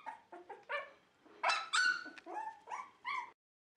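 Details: Dogs at a Shiba Inu and Samoyed breeder in the Netherlands, 4 November 2018, beside a freshly cleaned bed: a quick run of about nine high, harmonic yelps and whines over three seconds, rising and falling, with louder strained cries midway.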